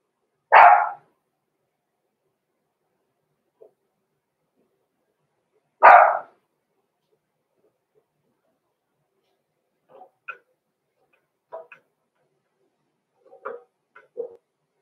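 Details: Six-week-old blenheim Cavalier King Charles Spaniel puppies from a small litter born November 14, 2022, in a home puppy pen: two sharp single barks about five seconds apart, then faint soft squeaks and small noises.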